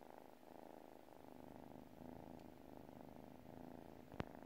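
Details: Domestic cat purring while asleep: a steady low rumbling purr with fine regular pulses runs throughout, one sharp click near the end.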